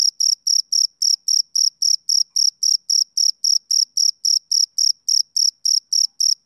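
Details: Summer-evening chirping of a male cricket, crisp high-pitched pulses ticking along at a regular pace of almost four per second against complete quiet.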